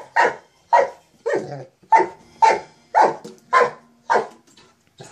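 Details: Mastiff barking while playing with a sock monkey jack-in-the-box toy; a steady run of nine loud, deep barks about every half second, clean with little background.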